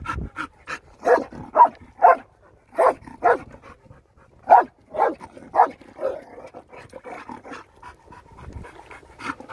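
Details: Dog in Argostoli, Kephalonia, teasing Caretta caretta loggerhead turtles: uneven breathy huffs, strong bursts about twice a second, fading into softer, quicker puffs toward the end.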